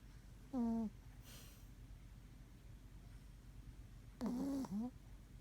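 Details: Sleeping Pomeranian Maron snores with high whistling squeaks on the breath, one brief falling tone and then a longer wavering double note about four seconds later, in a hushed room.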